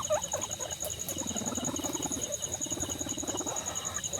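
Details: Guinea pig at a birthday celebration, giving a low, rapidly pulsed rumbling chatter that swells and fades over about two seconds, with a faint squeak at the start and a steady high electrical whine throughout.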